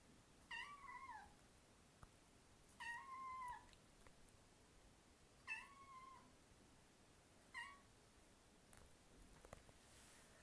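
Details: Pet cat talking in a quiet room, giving four separate meows spaced roughly two to three seconds apart, each a level tone that bends downward at the close, the last one shorter.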